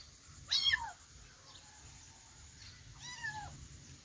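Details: Two high kitten mews: a loud, brief falling cry early on, then a softer, longer, bowed meow a few seconds later, with faint hiss between.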